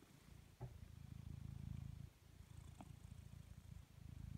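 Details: A blue British Shorthair cat lazing and purring: a deep, rumbling low purr with steady pulsing, swelling and fading with each breath, a short pause near the middle, and a couple of faint clicks.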